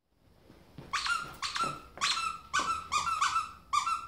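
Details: Domestic ferret jumping about like a dog, indoors in a small room: a quick series of sharp, high squeaks with rich overtones, coming in short bursts about twice a second with brief gaps between them.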